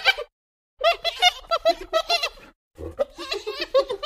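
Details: At night, a spotted hyena calls in choppy bursts of short, nasal, giggling, laugh-like notes, each wavering up and down in pitch, in two rapid runs separated by a brief pause.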